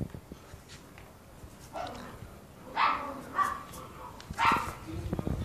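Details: A brown Toy Poodle, one of a male and female pair, gives a few short, high yapping barks spaced about a second apart.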